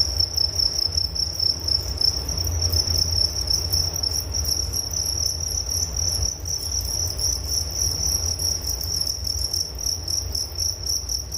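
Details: Crickets keep up a constant piercing trill of fast repeated pulses, a soothing night-like chorus over faint low background noise.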